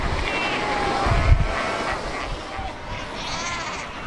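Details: Cape fur seals in a colony of more than 100,000 at Cape Cross on the Skeleton Coast, ocean and rocks nearby; wavering, bleating harmonic calls from several animals overlap, under heavy wind rumble and surf.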